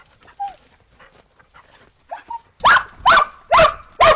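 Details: Australian Shepherds and a Boston Terrier playing in snow after a snowstorm on 12 December 2022, before breakfast; a few soft whines lead into four loud sharp barks about half a second apart.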